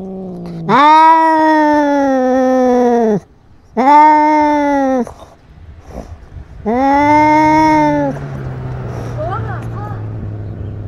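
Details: Cat fighting and asserting dominance over territory, filmed with a GoPro: three long, loud, drawn-out yowls of about two seconds each with strong harmonics, separated by short gaps, then a lower droning growl fading out.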